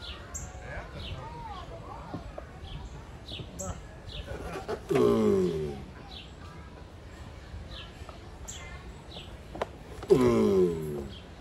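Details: Giant tortoises mating. Two deep, rasping, harmonic groans sound about five seconds apart, each dropping in pitch, while small birds twitter quietly in the background.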